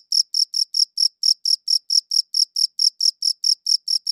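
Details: Cricket chirping in a high-quality recording: crisp, high-pitched chirps repeated steadily about every quarter second, each a short pulsed burst with a faint higher overtone, on a completely quiet background with no other sounds.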